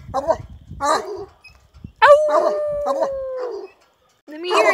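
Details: A male Redbone Coonhound, sire of an upcoming litter, puts his head back and bays in long, drawn-out, mournful notes that slowly fall in pitch.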